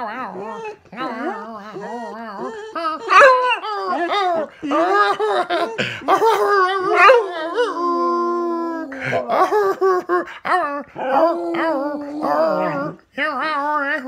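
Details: Daisy, a singing dog, howls loudly in long wavering tones rich in harmonics, with pitch sliding up and down, a sustained steady note near eight seconds, and brief breaks between phrases.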